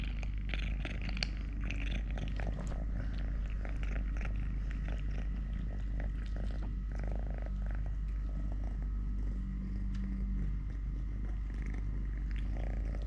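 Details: Three-legged house cat Totoshka purrs steadily at close range during food, play, walking and fighting with a hand; an even low throbbing drone fills the recording, broken by light clicks and handling sounds.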